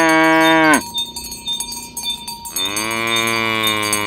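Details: Herded village cattle in the morning, calling to gather: a strong moo that drops sharply in pitch, a brief pause filled with cowbell chimes, then a second sustained low moo.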